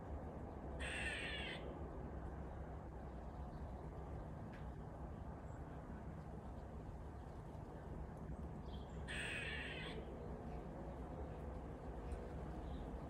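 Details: A squirrel makes magpie-like noises: two brief, harsh rasping calls, well apart, over a steady low rumble.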